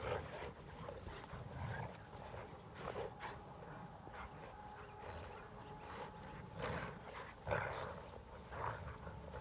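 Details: A Saint Bernard and Golden Retrievers make low, rough growls and huffing bursts in short, irregular spurts during rough play, the Saint Bernard too strong for the Golden Retrievers.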